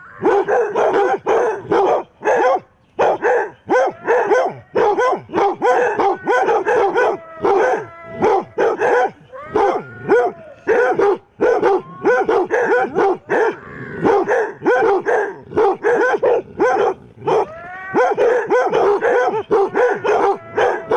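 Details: Eight basset hounds bark and bay at a mechanical Halloween cat, defending against the decoration; dense overlapping deep barks with harmonic, howl-like drawn-out bays, near-continuous chorus with brief pauses.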